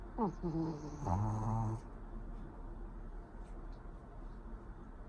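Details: Pori, a pet Pomeranian asleep indoors, snoring: a drawn-out voiced, harmonic snore that bends in pitch during the first two seconds, then fades into a low, rough, rumbling breath.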